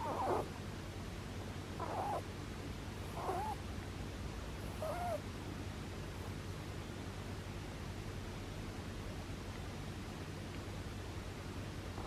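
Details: Dozing pet rabbit gives four soft, wheezy snores in the first five seconds, about two seconds apart, then goes quiet. A steady low hum continues throughout.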